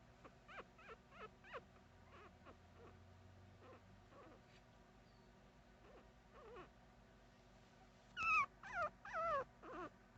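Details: Puppy making cute noises: soft, short squeaky whimpers repeated about once a second, then several louder, wavering high whines near the end, with a low background hum.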